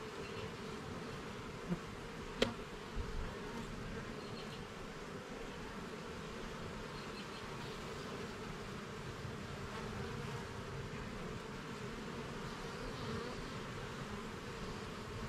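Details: A steady, thick hum from a honey bee colony in a garden hive as its levels and frames are checked. A sharp click of handling cuts through at about two and a half seconds, and fainter taps follow.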